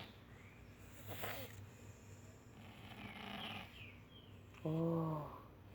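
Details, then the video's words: Two pet cats, Tadeu and Roger, asleep early in the morning, snoring together: soft breathy rasping snores swell near the start and again in the middle, then a brief voiced, harmonic sound ends the stretch. "Gato Roncando"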